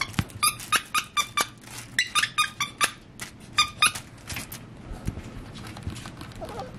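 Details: A six-week-old beagle puppy at play gives a quick run of about a dozen high, squeaky yips in the first three seconds. Quieter scuffling and soft rustles follow indoors.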